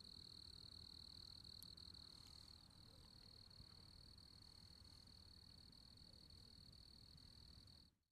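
Crickets chirp in a steady, high, shimmering trill that runs without a break.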